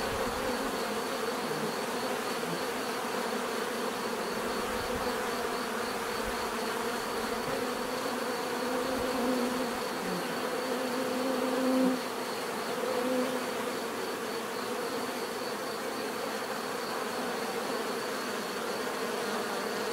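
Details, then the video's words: Long unbroken hum of a crowd of bees, uniform and droning, with occasional single insects buzzing slightly louder as they fly near the recorder, then blending back into the background swarm. "bees therapy relaxing natural buzzing sound"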